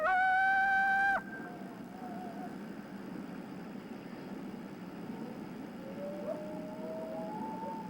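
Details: A coyote gives a warning bark-howl: a loud, harsh aggressive bark, then faint fluctuating howls, alerting other coyotes that something is wrong; typically given 100–200 yards away after sensing an intruder.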